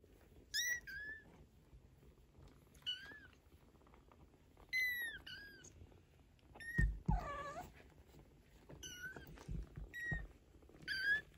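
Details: Maine Coon kittens, 15 days old, with their mother cat Geza, who talks to them; high, bending mews come in short bursts every two seconds or so, with a lower wavering chirp midway and soft thumps.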